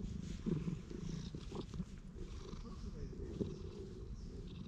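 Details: Stray cat in a park, patted and stroked, recorded on a GoPro HERO8: a low, steady rumbling purr runs throughout, with a few soft touch and rustle noises over it.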